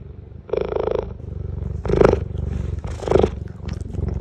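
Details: A young female cheetah at Cincinnati Zoo purrs in a deep, continuous, low rhythmic rumble, with three stronger, rougher, breathier bursts standing out above the steady drone.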